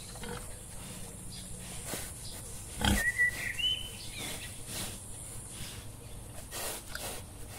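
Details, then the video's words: Wild boar giving rough, breathy grunts and snuffling bursts at irregular intervals, one louder burst near the middle, with a brief thin whistled bird note overhead and a steady low background hum. "Wild Boar. Video and sound."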